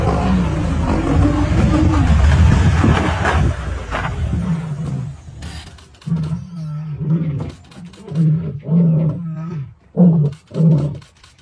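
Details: Sub-adult male lions of the Vurhami Pride in a fight, chasing a large intruder lion: loud snarling at first, then a run of deep, grunting roar bursts, around eight short pulses repeated about once a second and fading out.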